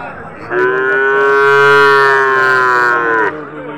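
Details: Cattle at a Qurbani cattle market in Domar, Nilphamari district, Bangladesh, where Bosnia cattle and Sahiwal calves are sold: one long, steady, low moo lasting about three seconds, rich in harmonics, with faint background voices.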